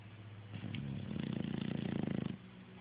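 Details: Rocky, a lazy English Bulldog, sleeping in the morning before slowly waking up: one low, rattling snore with rapid regular pulses that lasts under two seconds, in a quiet small room.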